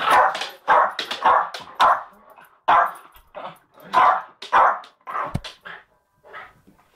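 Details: Two pet dogs, a Jack Russell terrier and a Bull Mastiff, fighting: harsh, short barks and snarls come in quick clusters, then fade into scattered softer growls and yips toward the end.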